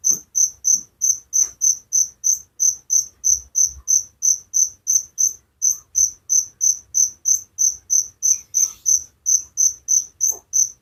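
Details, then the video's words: A cricket chirps through the night near a village, its piercing high-pitched pulses evenly spaced about three each second over a long steady run, with only faint background ticks. "Suara Jangkrik penghantar tidur || Relaxing sound of crickers"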